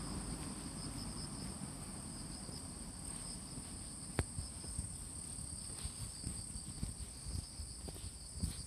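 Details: Autumn insects calling in Fujimori Park, Hachioji, Japan, on the early morning of 6 September 2020, during light drizzle after rain, with cicadas no longer heard: a steady, continuous high shrill chorus with occasional soft knocks and thuds.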